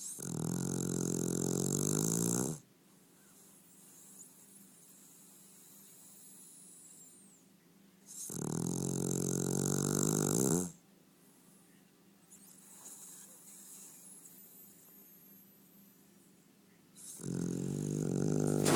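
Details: Domestic dog snoring indoors: long, loud, harmonic rasping snores of about two and a half seconds each, separated by roughly six-second quiet pauses filled with soft breathing.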